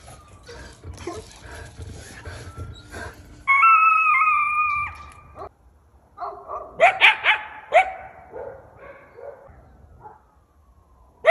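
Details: A coyote in a residential neighborhood, howling at the neighborhood dogs, gives a drawn-out, wavering howl, then a burst of sharp barks and high yips.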